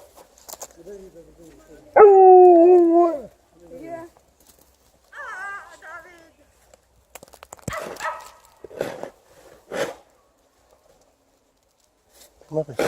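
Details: Liza the Alaskan Malamute joins the air raid siren on a winter walk: soft wavering howls, then one strong wobbling howl falling at its end, more brief howling, then footsteps and a woman speaking Russian.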